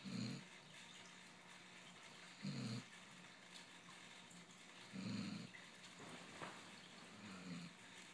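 A Basset hound snores in low, rumbling breaths that repeat about every two and a half seconds.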